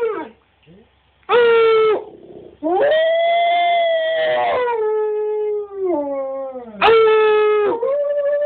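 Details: Cash, a husky-wolf hybrid who loves to sing, howls in long harmonic tones. A short howl is followed by a long sustained howl that slowly falls in pitch, then a final rising howl near the end.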